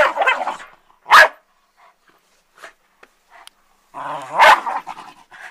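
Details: A pet dog attacking an ironing board gives two sharp, loud barks about three seconds apart. Softer growling and huffing fill the gaps, with a rough growl just before the second bark.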